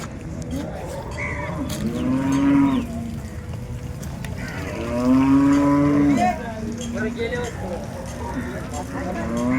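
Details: Holstein Friesian cattle at the Loni cattle market, 30 December 2025; two long, loud moos rise and fall around seconds two and six, with softer lowing between, over steady crowd murmur and market bustle.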